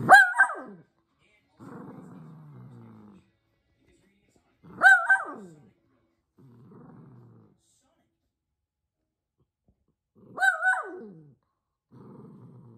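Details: Elderly, near-senile dog barking at nothing: three loud harmonic barks spaced about five seconds apart, each followed by low rumbling growls.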